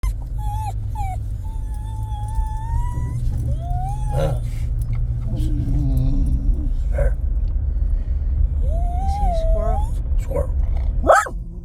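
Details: Jack Russell terrier Bo Duke, eager to get out of a truck, whines in long high wavering tones that rise, fall and break off, over a steady low engine rumble with some human voice.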